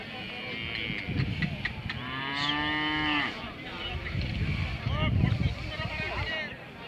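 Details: Hallikar cattle at the weekly Thursday cattle fair market in Gandasi: a drawn-out harmonic moo rising and holding steady, with other lowing nearby, over crowd chatter, men bargaining over prices and background music.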